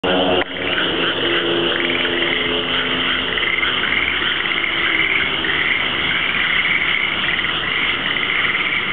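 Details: Many frogs calling after dark outside an apartment in Sanda, Japan: a dense, unbroken chorus of overlapping rattling trills and croaks that hold steady throughout, with a short low thump right at the start.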